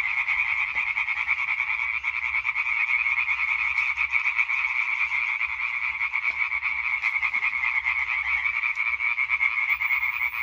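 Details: Hyla arborea chorus from 20 May 2023: many European tree frogs croaking at once in a continuous rattling concert, slightly quieter here, fast pulses merging into a steady buzz with a few soft knocks.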